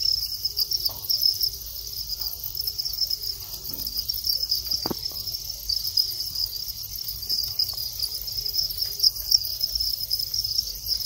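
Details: Thai house cricket male calling as mating begins, after moulting into long wings. A continuous high-pitched chirping trill carries throughout, with a short tap and a few faint clicks in the background.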